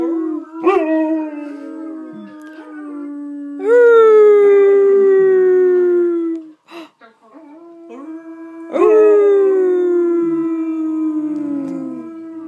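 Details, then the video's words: Alaskan Malamute howls while howling videos of other malamutes are played to coax her: three long, smooth, harmonic-rich howls, each starting with a sharp rise and then slowly sliding downward over several seconds, with short gaps between them. "Alaskan Malamute Trying to Howl"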